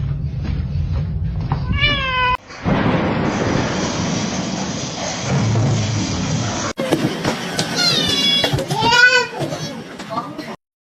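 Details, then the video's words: Domestic kitten meowing: a drawn-out, arching meow early on, then several rising-and-falling meows near the end, separated by a long stretch of loud noisy background with music-like sound. "kitten meowing call"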